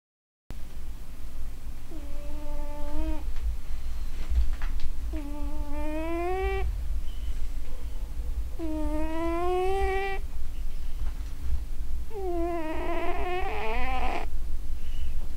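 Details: Sleeping domestic cat snoring indoors: four drawn-out, rising, moaning breaths spaced roughly every three to four seconds, over a constant low rumbling hum.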